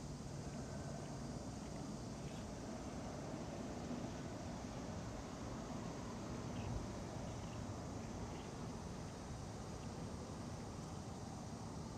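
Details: Quiet outdoor ambience of wind and a distant engine hum near a park pond, with no distinct calls standing out.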